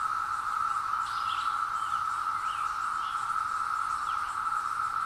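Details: Seventeen-year periodical cicadas emerging in woodland fill the air with a steady, droning chorus that rolls like a wave across the woods and grows loud under a low canopy, with faint bird chirps.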